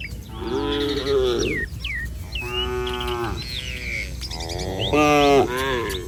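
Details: Street-roaming herd of village cattle giving a run of short, wavering moos one after another, while small birds chirp and whistle in the background.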